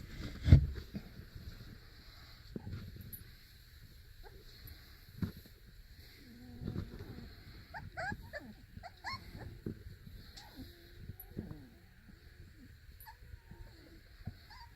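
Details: Four-week-old Beagle puppies playing in a box at a breeder in Centralia, Washington: soft, thin whimpers and short bending whines scattered through the middle, with bumps, scuffling and a low background hum.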